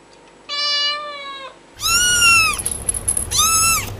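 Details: Kitten meows, first a flat, steady one-second call, then two louder arching mews that rise and fall, with a rough background hiss between them.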